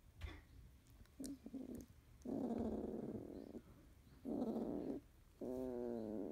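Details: Yellow female Labrador Retriever puppy Debbie, 31 days old and of field type, awake early while her sleepy littermates rest, chewing a sibling's head. Three sustained nasal whining grunts, each about a second long, separated by short pauses.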